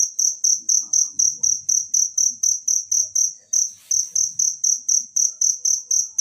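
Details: A cricket heard in nature, meant as a teaching sound for songbirds, keeps up steady, high pulsed chirping, about four beats per second. A brief soft hiss and a slight hitch come midway, with faint low rustling throughout.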